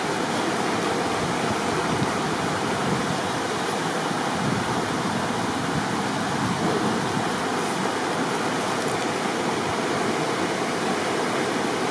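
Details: Steady roar of rushing river water fills the whole stretch, with no animal voice audible.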